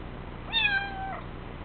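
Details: A kitten on its second day in a new home meows once in protest at being coaxed to growl. The single short, steady-pitched, tonal mew lasts about half a second in a quiet indoor room.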